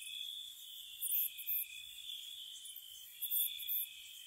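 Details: Crickets chirping on a spring night near a cottage: an unbroken high-pitched trill with two brief clusters of piercing double chirps, the first after one second, the second after three.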